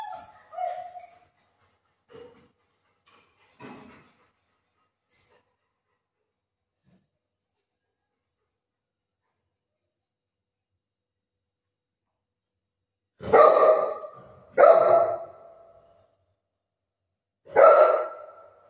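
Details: Golden retriever playing with its owner at home: after a long quiet stretch, three short, sharp barks come close together near the end, following scattered faint voices and small noises early on.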